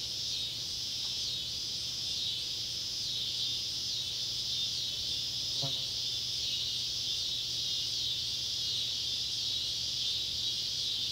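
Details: Summer sunset chorus of Neotibicen pruinosus and Neotibicen tibicen cicadas near an old tobacco barn in Ballard County, Kentucky, July 31, 2013: continuous shrill buzzing, nearly constant throughout, with one brief click midway and low background hum.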